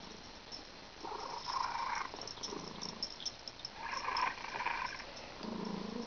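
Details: Pet cat with congestion, breathing noisily as it does every day; rasping, wheezy bursts of breath around one and four seconds, with lower snuffling near the end, recorded indoors.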